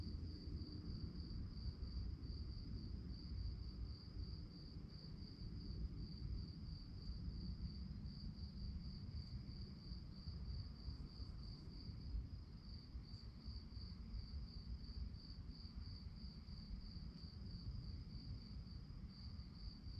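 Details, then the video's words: Night-time cricket chorus, a continuous high pulsing trill repeated rapidly and evenly throughout, set against a heavy, rumbling low background noise. "relaxing sounds of crickets"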